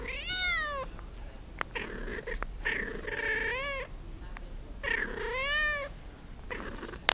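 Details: Cat giving several drawn-out wavering meows with rich harmonics, some slightly bending up and down, over a noisy indoor background with short clicks.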